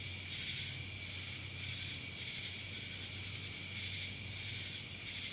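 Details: Dallas, Georgia cicadas droning in a constant high buzzing wall of sound, fairly even in loudness with slight swells, over a low steady hum.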